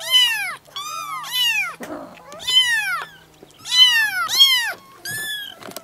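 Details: Kittens mewing in a small room: loud, drawn-out arched meows with rich harmonics, some rising then falling, coming in pairs with brief pauses, plus a soft rustle.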